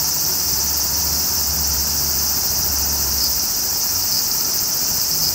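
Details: Steady high sizzling buzz from a large brown cicada, constant in loudness across the whole stretch, with a faint low hum in the background.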